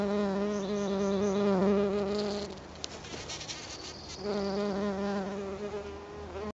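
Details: A black-tailed bumble bee (Bombus melanopygus) gives a steady, droning buzz in two bursts while buzz pollinating azalea blossoms.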